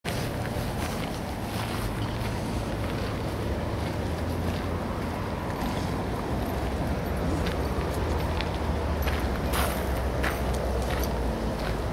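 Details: Steady low rumble of wind or engine noise with faint footsteps and scattered clicks, no animal voice.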